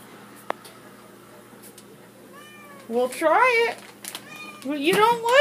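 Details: House cat, female, begging indoors for cabinet-stored treats: after a quiet start, two loud drawn-out meows, the second rising strongly at the end, in a small room.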